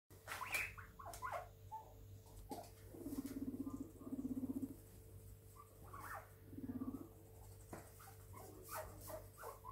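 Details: Seven pet guinea pigs out together for floor playtime, exploring a new house: a few brief, bright squeaks early on, then low pulsed purring bursts lasting about a second each, with pattering footsteps and clicks.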